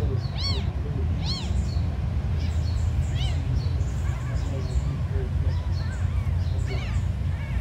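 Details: Very small abandoned kittens mewing: high arched mews with stacked harmonics, several in quick succession near the start and others spaced through the clip, over a steady low rumbling hum.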